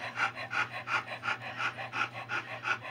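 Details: Young Alaskan Noble Companion Dog puppies from an agouti and liver litter, mostly males: quick regular breathy panting, about three huffs per second, with a steady low electrical hum beneath.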